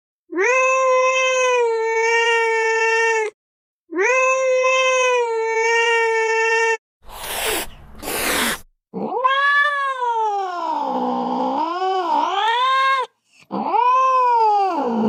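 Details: Cat meowing: long, steady, strongly harmonic wails of about three seconds each, then a brief noisy burst and a lower, wavering, drawn-out yowl that dips and rises, ending with a shorter cry.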